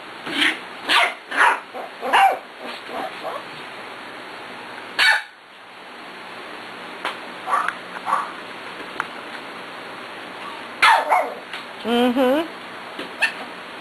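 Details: Six-week-old puppies from one litter at play give a quick run of short, high yips and barks. After a pause, a few more sharp barks come. A person talks to them near the end.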